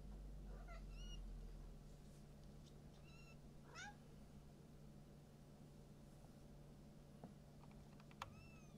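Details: Silver Maine Coon at a breeding cattery in Tokyo, Japan. Several short, thin, high meows rise and fall, spaced a couple of seconds apart, over a steady low hum and faint clicks.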